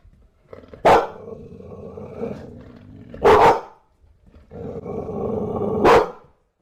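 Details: Bulldog giving three loud, deep, rough barks about two and a half seconds apart, with low growling and grumbling between them.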